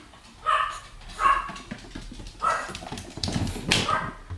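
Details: Pomeranian named Sam, a pet dog, filmed during a cat-trick clap game; four short sharp yips or barks spaced about a second apart, with handling noise and rustling between them.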